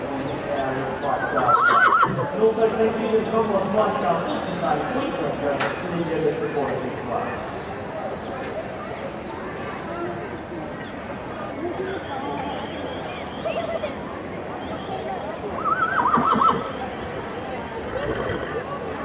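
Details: Clydesdale horses exhibited at the Brisbane Royal Show (Ekka), 2013, during show workouts; a tremulous, high whinny near the start and another near the end, over constant people talking and hoof clops.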